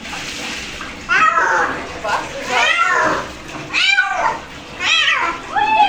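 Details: House cat complaining during a bath, uttering a series of short, falling meows roughly once a second, with a person's voice and running water in the background.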